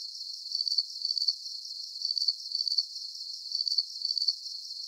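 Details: Crickets chirping in a calm sleep soundscape: high, pulsed trilling chirps grouped in pairs, each pair about a second and a half apart, over a steady faint high hiss, with no low sounds at all.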